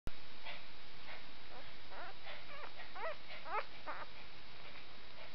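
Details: Nine-day-old spaniel and shih tzu cross puppies, three females and one male, squeaking: short high chirping squeals, some wavering, bunched in quick runs over a steady low background hum.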